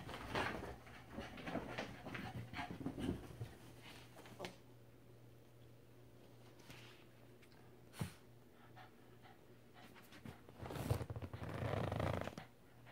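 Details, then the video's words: Ruby, a Cavalier King Charles Spaniel, excited and going crazy after a bath indoors; quiet, rapid breathy panting with soft rustling bursts, louder near the end, over a steady low hum. "Ruby Cavalier King Charles Spaniel - Going crazy after a bath"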